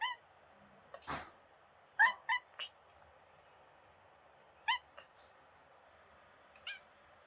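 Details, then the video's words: Young kitten on holiday in Greece giving sweet beeping sounds all the time: brief bright chirping peeps in a quick cluster, then single ones spaced a couple of seconds apart, one louder thump early on. "Cute Kitten Mira making sweet Beeping Sounds"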